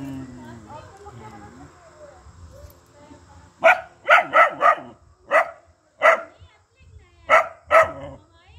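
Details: Pet dogs barking at goats: a rapid burst of sharp, loud barks followed by spaced single and paired barks, about nine in all over five seconds, after a stretch of quiet murmuring voices in the background.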